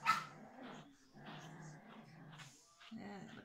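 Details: Biewer Terrier puppy Tuppence, a young female, during brushing and microchipping: one sharp yelp opens the sequence, then a long low rumbling growl, a pause, and another short growl.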